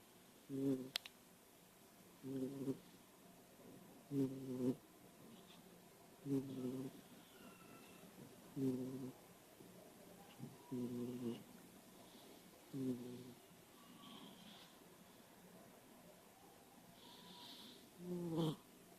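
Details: Kitten snoring while lying awake on a couch: low, rough, harmonic bursts repeat about every two seconds, nine in a row, then fade into quiet room noise, with a faint click near the end.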